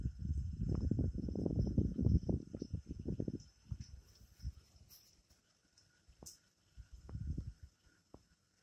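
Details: Night frog chorus in Amboli hills forest, Sindhudurg, recorded without background music: dense low, grating croaks in rapid bursts for three seconds, fading to scattered pulses, over steady high insect whines.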